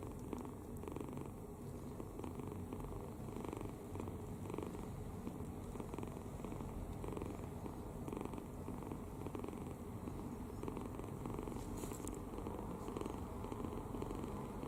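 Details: Sleeping kitten snoring with its mouth open, resting soundly and relaxed; a steady low rumbling purr-like drone runs throughout without pause, with faint soft clicks and a brief high hiss near the end.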